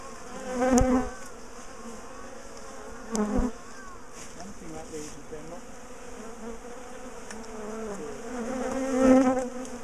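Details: Bees of a big top bar hive colony being dismantled and relocated; low background hum with three louder passing buzzes as individual bees fly close, separated by quieter stretches.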